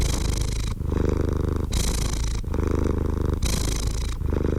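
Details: Cat purr heard up close, a low rumbling hum that swells and eases with each breath, about five cycles under a second apart.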